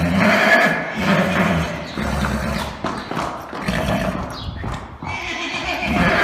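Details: Arabian horse neighing: a dense, harmonic whinny that wavers over six seconds alongside low rumbling, with a sharp rising squeal near the end and hoof clip-clops beneath.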